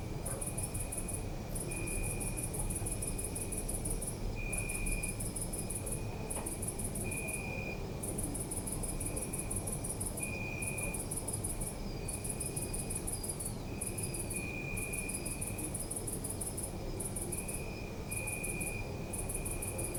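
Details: Crickets chirping through the night in a city park, captured with a Zoom F3; dense high pulsed trills in repeated bursts with brief breaks, a lower steady whistle-like note returning often, and continuous background city rumble.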